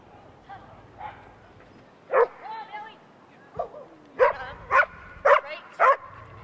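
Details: A female Rhodesian Ridgeback at an AKC event in August 2011: a few soft sounds early on, then a string of four sharp, loud barks spaced about half a second apart near the end.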